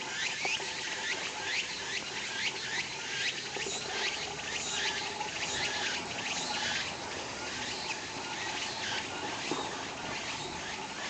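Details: Walker's cicada singing near a parking lot, a dense shrill buzz carrying rapid, evenly repeated rasping pulses several times per second throughout, with steady background hum and noise from cars in the nearby lot.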